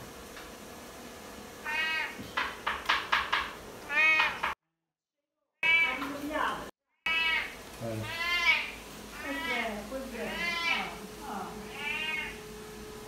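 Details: Tommy, a domestic cat reacting to being told "no", answers a person with a run of drawn-out, rising-then-falling meows, several in quick succession, interleaved with short human speech and a low steady hum in the background.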